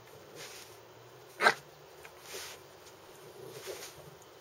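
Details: A single sharp bark from Milponpon, a Lhasa Apso dog, standing out clearly at the one-and-a-half-second mark over a quiet indoor background with a steady high-pitched hum.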